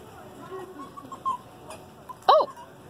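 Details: Arctic foxes at the Columbus Zoo & Aquarium: faint scattered tonal squeaks, then one loud, brief, arched squeak with stacked harmonics near the end, over a low background hum.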